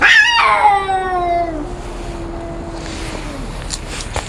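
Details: Two cats raising their voices in a fight: a harsh, wailing yowl that starts high and slides down into a long, drawn-out low moan, followed by quieter hissing noise.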